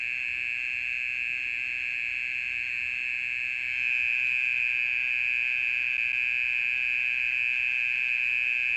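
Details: Mole cricket keeping up its call at night, a monotonous high churring trill that grows noticeably louder about halfway through and stays strong to the end.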